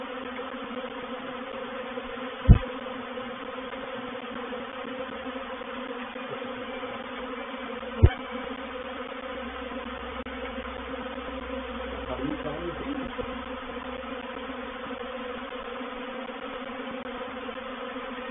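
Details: Honey bee reproductive swarm entering a bait hive at Painted Peacock Manor on 04/07/21. A steady layered buzz runs throughout, broken by two sharp knocks and a brief wavering sound near the middle.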